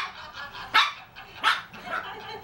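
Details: Marty, a three-year-old Shih Tzu, barking at cheese: two sharp, bright barks about three-quarters of a second apart, then a softer third yip, with a quiet room background.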